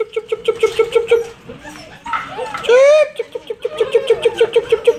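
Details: German Shepherd puppies at play in Florida: rapid runs of short, high yips about three per second, broken midway by a brief whine and a rising squeal, with a person speaking briefly in between.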